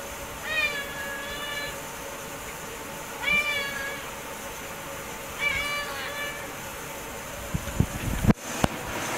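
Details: House cat meowing at dinner time: three clear rising-falling harmonic meows roughly every two and a half seconds, with a person quietly calling and clattering kitchen sounds near the end.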